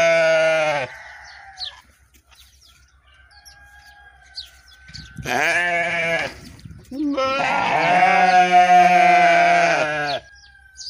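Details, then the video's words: Sheep calls, three in all: a short bleat at the start, a rougher cry of about a second midway, and a long, wavering, nasal bleat of about three seconds. A faint steady tone runs through the quieter stretches. "The sound of a sheep, the sound of a sheep صوت خروف ، اصوت خرفان"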